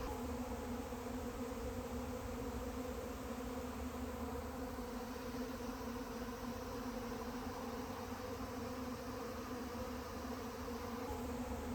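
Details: Honey bee swarm of about 140,000 bees outdoors in fine weather on a mountain pass, a dense, steady droning hum with low layered tones holding evenly throughout, no other clear sounds.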